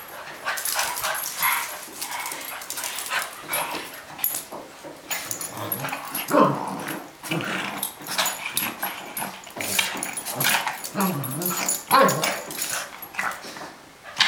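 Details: Boston Terrier and Cavalier King Charles Spaniel wrestling in play: short low growls and snarls come in bursts among scrabbling and thuds, with a couple of brief higher yips.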